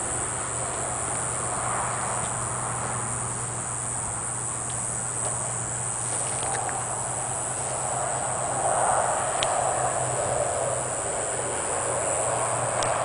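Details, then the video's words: Diceroprocta olympusa cicada singing in Lehigh: a high, steady, unbroken buzz that holds throughout, over a low rumbling hum and background noise. "Diceroprocta olympusa cicada stops when approached in Lehigh"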